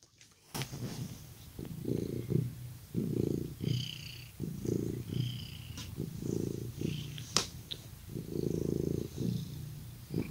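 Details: Domestic cat purring as its owner comes close, indoors; a soft low rumbling purr swells and fades in rhythmic cycles roughly every second and a half, with a few faint clicks and rustles.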